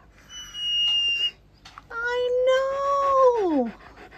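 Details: Beowulf, a pet dog staying indoors for a week, holds a clear, level whining howl that bends sharply downward at the end, preceded by a brief thin whistle-like whine.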